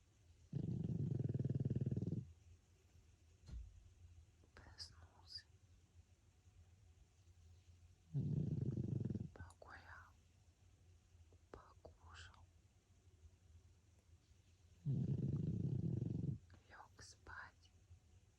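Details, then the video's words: Pug François asleep, giving three deep, buzzy snores roughly every seven seconds, each a steady low rumble of about one and a half seconds, separated by quiet human whispering. "храп мопса Франсуа"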